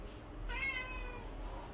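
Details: One loud, clear meow from a Siamese cat begging for food inside a home. It starts abruptly, holds a bright, slightly bending tone for under a second, then fades out over a quiet room background.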